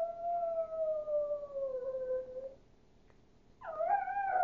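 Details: Duke, a Chihuahua with a wolf-like howl, sustains a long smoothly descending note for over two seconds, pauses briefly, then resumes with a strained, quavering howl climbing higher in pitch.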